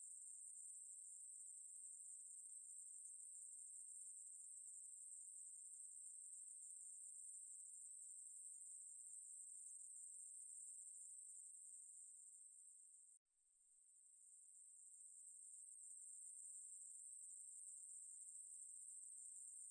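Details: Ruspolia katydid from the National Institute of Biological Resources 2020 collection: a steady, high, hissing buzz that runs unbroken except for one abrupt pause near thirteen seconds, then resumes and gradually swells back to full strength.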